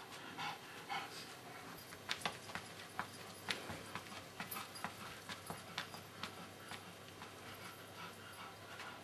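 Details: Pekingese pet dog named Pingeling, panting indoors: quiet, uneven breathy bursts with sharp little clicks and snuffles, spaced irregularly across the stretch over a soft steady background hum.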